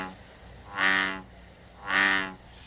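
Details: Two resonant, drawn-out croaks from an American Bullfrog, each swelling and fading over about half a second, about a second apart, rich and buzzy in tone, with a low steady background hum.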